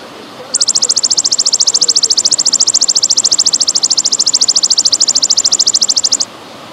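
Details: Golden grasshopper recorded over trickling water: a steady high, buzzy pulsed trill of very rapid, even ticks, starting after half a second and running unbroken for nearly six seconds, with a soft water hiss beneath.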